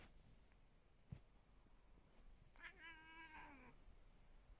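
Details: Domestic cat indoors giving one drawn-out, wavering meow that rises then slowly falls, about a second long, following a faint click and quiet room hiss.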